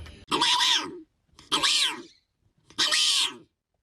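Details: A male hyrax gives three harsh, squealing wails, each under a second long and about a second and a half apart, with rising and falling notes.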